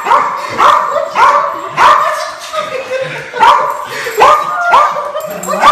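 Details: Excited dog meeting its owner again after a long time, letting out rising whining yelps roughly every half second in an unbroken eager stream.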